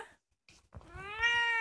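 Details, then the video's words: Two-year-old orange female house cat, youngest in the family, recorded indoors at night: a single drawn-out meow rising then levelling off, rich in harmonics, after a few soft taps and rustles. "The youngest cat in my family's house cries"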